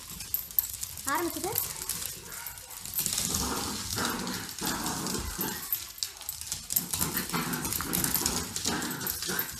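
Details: Pet dogs Grace and Button, a cockapoo and a shih tzu, at playtime: a brief rising whine early, then continuous rough growling and scuffling, with a person talking over the tussle.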